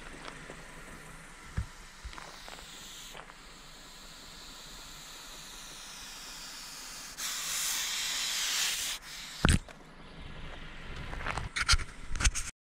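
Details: Harassed common European adder (Vipera berus), recorded 2019 on a Swedish forest path in Jämtland, gives a loud, rushing hiss of nearly two seconds midway, amid scattered clicks, knocks and rustling.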